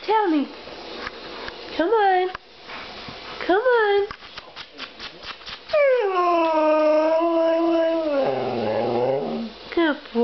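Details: Male Siberian Husky indoors, vocalising back and forth with its owner as if talking: wavering, harmonic-rich howls and yowls that rise and fall, a long sustained howl with a throaty, rough end, interleaved with the owner's encouraging speech.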